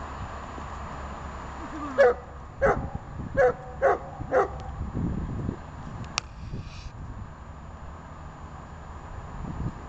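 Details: One of the dogs Arma and Buffon at obedience training gives five quick barks in about two and a half seconds, then falls silent, leaving low rumbling background noise and a single sharp click.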